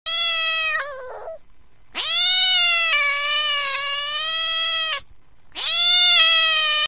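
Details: Cat; angry yowl; anger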